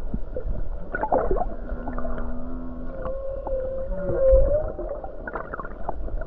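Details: Humpback whale near the Hawaii coast singing on a calm day while numerous whales are nearby: low steady hums, then a wavering mid-pitched moan that swells louder, punctuated by clicks and knocks over a constant underwater rumble.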